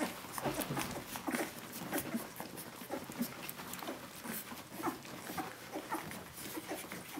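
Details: Litter of seventeen-day-old puppies calling for their mother Brenda, a dense, continuous chorus of thin whimpers and squeaks, several pups crying at once in quick, irregular succession.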